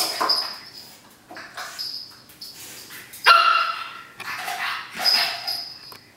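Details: A 3-month-old pug puppy playing wildly with a roll of paper towel gives short, high yips and one sharper bark amid bursts of rustling.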